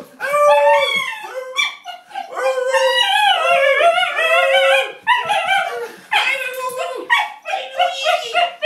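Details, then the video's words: Basenji happily greeting its owner home after a week away: continuous loud wavering yodel-like howls, warbling up and down, broken by short yips and brief pauses. "Eko the basenji greeting"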